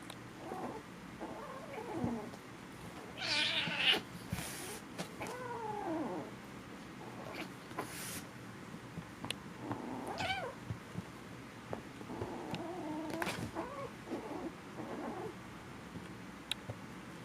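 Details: Foster kittens at play-fight make weird noises: brief wavering mews and squeals, some rising then falling, broken by sharp thuds and rustling as they tumble.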